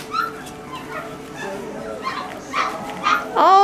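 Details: A litter of Great Pyrenees puppies eating their dinner. Thin whimpers and squeaks overlap, then a louder, drawn-out whine bends down and back up at the close, with faint feeding noises beneath.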